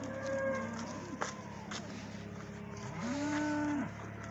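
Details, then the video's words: Morning cattle lowing, a short moo at the start and a loud, flat, sustained moo near the end, over a steady low droning hum. "COWS ARE NOISY THIS MORNING."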